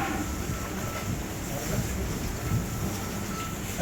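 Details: Steady low vehicle rumble with wind buffeting the microphone and no animal voice present.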